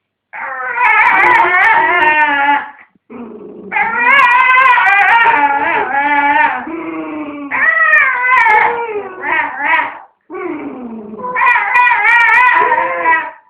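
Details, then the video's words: Domestic dog defending a dog chew from another dog; long strange wavering howling whines mixed with growls, several sustained bouts separated by short breaths. "Funny Dog Noises"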